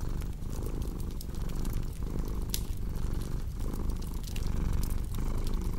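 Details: Deep, even cat purr pulsing through inhale and exhale roughly once per second, while a crackling fire adds occasional bright clicks.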